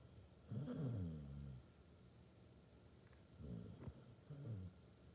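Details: Low, grumbling snore from a sleeping Basset Hound: one long rattling breath at the start, then two shorter, softer snorts after a pause.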